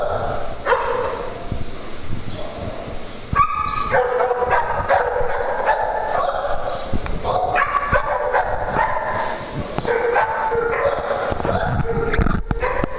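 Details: Dogs at playtime on a farm produce a busy, continuous jumble of overlapping yips, yelps and barks, with sharp high calls bursting out every second or so over a constant noisy background.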